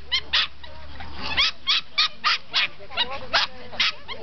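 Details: Norfolk Terriers getting ready for the start at a club racing day on a race course in Wassenaar, Netherlands; sharp excited barks or yelps repeated in quick succession, several per second at times, over a low steady hum.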